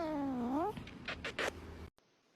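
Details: Domestic cat gives a dramatic meow that dips then rises sharply, followed by several short bursts of noise and a sudden cut to near silence.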